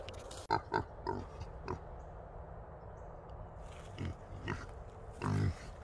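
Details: Wild hog held in a small trap with two other small boars, giving short, low grunts in quick irregular bursts, separated by quieter pauses and light rattling.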